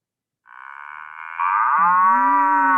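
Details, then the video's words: A cow gives a long, drawn-out moo that begins nasal and swells into a deeper, louder bellow. "Vamos a escuchar la vaca una vez más."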